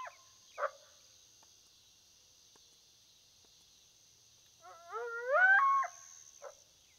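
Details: Coyote heard on a predator hunt, giving a quick series of short rising yips that swell into a bending, drawn-out howl, with brief faint yelps before and after in an otherwise quiet field.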